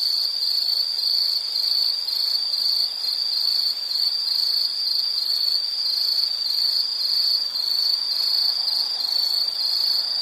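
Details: Insects in a relaxing nature recording give a constant high, pulsing trill, even and unbroken, nothing else clearly heard.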